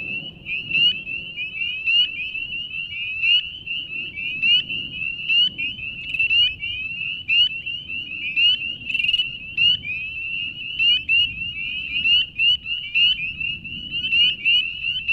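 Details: Chorusing spring peepers at a beaver pond, Banshee Reeks Nature Preserve near Leesburg, Virginia, in March; countless piercing upslurred peeps pile on one another without pause, above soft low background noise.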